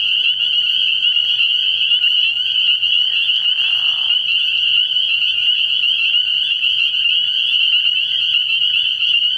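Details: Spring peepers calling in a dense night chorus at a frog pond early in the year, a steady high-pitched wall of overlapping peeps with a short lower burst of sound near the middle.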